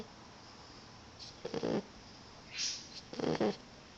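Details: Roxie, a tired female Boxer puppy, snoring during an afternoon snooze; two rough, breathy snores about two seconds apart, with a soft hissing exhale between them against a quiet room background.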